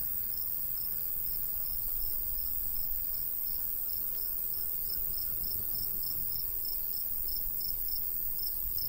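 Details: Cricket in summer countryside beside a golden wheat field, giving a steady run of short, high chirps at an even pace throughout, over a low rumble of light breeze.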